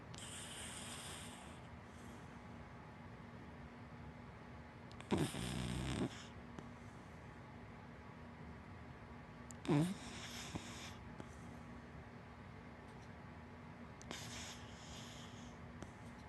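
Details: Hana, a big black female dachshund–black Labrador mix, snoring while asleep: soft, breathy, rasping snores recurring about every four to five seconds, with quiet pauses between them and a faint steady hum in the background.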